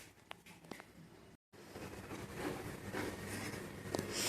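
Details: Quiet indoor room with faint rustling and scratching, a brief silent dropout, and no animal sound.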